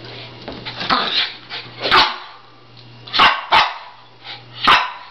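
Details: Dogs about a year old, shiba inus and cairn terriers, barking after a playdate. Four single sharp barks are spaced about a second apart over a steady low hum, with a person talking quietly.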